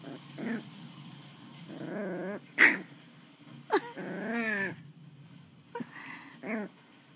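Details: Westie puppy at play, a series of wavering harmonic growls broken by sharp high yips, some growls sliding down in pitch, over a low steady hum.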